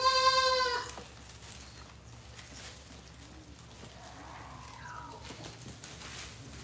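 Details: Goat brought from Modnimb market gives one loud, harsh, rich-toned bleat lasting about a second, followed by quiet background noise and a faint, thin distant call.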